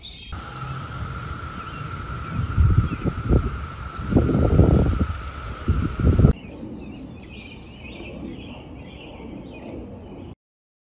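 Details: Brood X 17-year periodical cicadas in a 2021 daytime chorus at Chantilly, Virginia, near Washington, D.C.: a steady, unbroken high drone over low rumbling thumps, then a sudden cut to a quieter stretch with faint bird chirps.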